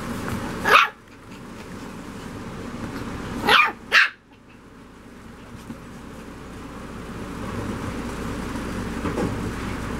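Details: Rat terrier puppies, three females named Aquila, Lyra and Antlia at seven weeks old, give sharp high yapping barks, one near the start and two close together around the middle, with steady background hum between.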